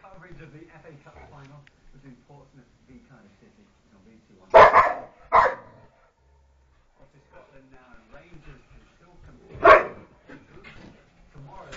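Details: Household dogs in a playful scrap let out a quick double bark, then a single bark a few seconds later, with a faint murmur of voices underneath.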